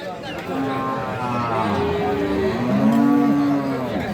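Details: Sahiwal cows with calves at Aftabganj cattle market on 25 February 2025, a Tuesday market day; several long low moos overlap, steady pitched lowing through most of the clip, with crowd murmur in the background.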